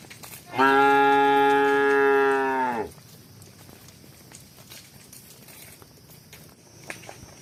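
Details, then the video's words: Cow, among cows running and walking, gives one loud steady moo of about two seconds, strongly harmonic and level, ending abruptly; faint clicks and rustles before and after. "Cows run and walk making Embooh sounds, Cow Voice Embooh"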